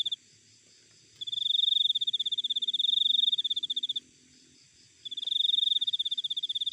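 A cricket gives long, high, pulsing trills separated by brief pauses of about a second.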